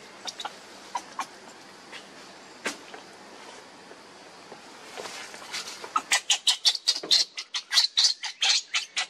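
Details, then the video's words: Baby monkey Lucie begging her mother for milk and being refused; quiet clicks and squeaks at first, then a loud run of sharp, high, rapidly repeated squealing cries over the last three seconds. "Lucie Beg Mom's Milk But Mom Reject Hardly I Lovely Baby Monkey"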